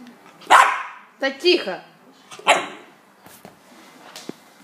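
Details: West Highland white terrier barking three times in about two seconds, bright harsh barks with a short yelp between, then quiet thumps and faint voices.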